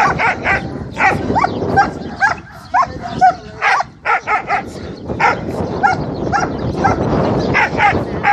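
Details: A young German Shepherd, a beginner at aggression, barks in rapid, uneven bursts of harsh, aggressive barks.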